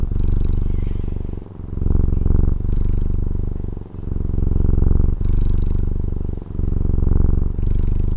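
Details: Pet cat in Taiwan purring continuously: a loud low rumble of quick pulses, louder on some breaths, with soft airy hiss at the turn of breaths and brief drops roughly every 1.3 seconds.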